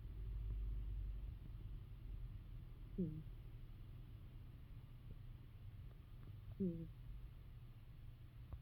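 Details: Sleeping female pet cat snoring, which she does often, sometimes louder: two short nasal, squeaky falling snores about three and a half seconds apart over a steady low rumble.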